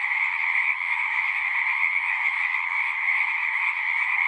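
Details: Steady chorus of many frogs, overlapping trilled calls merging into a bright two-band drone, faint low rustles beneath.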